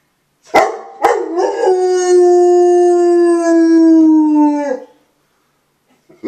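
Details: Old dog howling at 8 am on a Sunday morning: after two short yelps, one sustained howl of about three and a half seconds, steady then slowly sliding lower in pitch, with rich overtones, ending abruptly.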